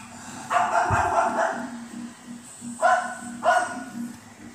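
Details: Cocker Spaniel puppy, female, barking at the TV while watching it happily; a few short sharp barks, a pair close together then two more, over a steady low hum and faint TV sound.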